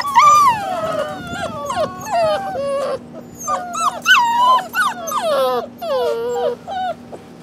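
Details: Several rescue puppies, thought to be a shar pei, hound and lab mix, give steady strings of thin, falling whines. The cries overlap and repeat almost without pause, with a faint steady hum underneath.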